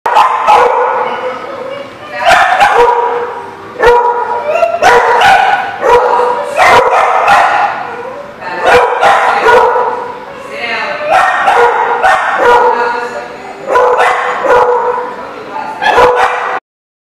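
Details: Dogs barking in a lot on 15 November 2019, loud harsh barks in bursts roughly every second or two, overlapping, with brief pauses and some voices.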